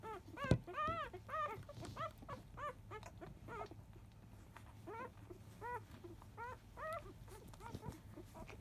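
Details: Five-day-old field-type Labrador Retriever puppies at their 10 a.m. nursing, mother biscuit the 2017 JFA Grand Champion. Arched, high squealing whimpers sound in quick bursts, repeated through the clip, with one sharp knock early and a steady low hum.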